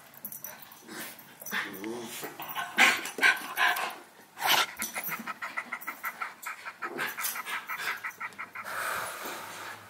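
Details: Howie, a six-month-old Havanese puppy, plays with Remy, a miniature schnauzer, indoors: rapid repeated growls and whimpering yips in quick pulses, louder bursts around the middle, scuffling between calls, recorded with a Sony a6000.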